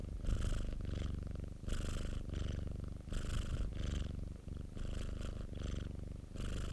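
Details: Pet domestic cat named Popo purring, recorded indoors: a steady low rumble pulsing with each breath, swelling and easing roughly every second and a half, with airy hiss on the stronger phases.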